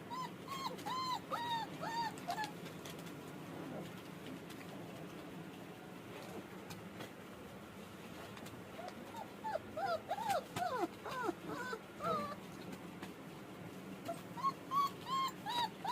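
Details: German Shepherd puppy giving bursts of high, thin whimpering whines, short arched notes clustered at the start, in the middle and at the end, separated by quiet stretches of low room hum.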